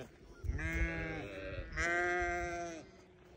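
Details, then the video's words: Bleats of newborn lambs, two drawn-out tonal calls each about a second long, the second louder and slightly higher, with faint low rustling beneath. "Newborn baby sheep so beautiful"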